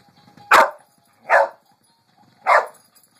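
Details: Pet dog Lucy barking at a Pink Pig Bumble Ball toy: three loud, harsh barks spaced roughly one second apart, with faint background rumble between them.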